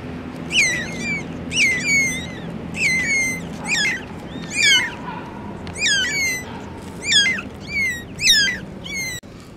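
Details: A litter of four kittens beside the mother cat keeps up steady high-pitched mewing, each cry dropping sharply at the end, several voices overlapping, with a soft low hum underneath.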